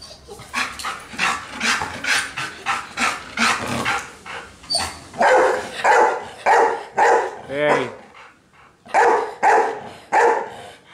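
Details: Golden Retriever excited about going out in a car, giving rapid, urgent barks and yelps about twice a second with strong harmonic tones. The barking pauses briefly near the middle and then resumes, with a human voice heard alongside.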